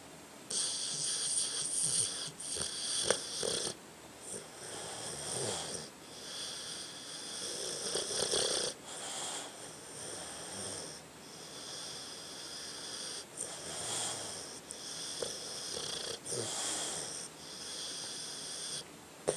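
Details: Sleeping dog named Tucker making amusing snoring noises, a continuous run of wheezy, whistling breaths with a bright hiss rising and falling roughly every second or two.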